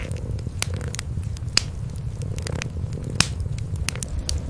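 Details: Kitten and mother cat curled together by a fireplace on a quiet night, purring as they sleep. A continuous deep, throbbing rumble holds underneath, while the fire's snapping crackles break in every fraction of a second.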